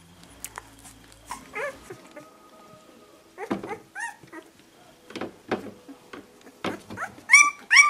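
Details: Puppies in their second week whimper and squeal indoors in short, scattered arched cries, quiet at first, then growing louder and more shrill in a tight burst of high squeaks near the end.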